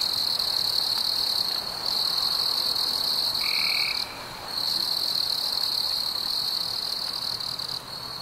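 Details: Chirping crickets on a warm summer evening make a continuous high, shrill trill that dips briefly after four seconds, with one short, lower whistled note partway through.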